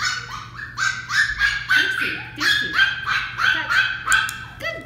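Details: Westie puppy Dixie, a female, barks almost nonstop in a training session, a string of bright, ringing yaps roughly three each second with a person's voice faintly mixed in.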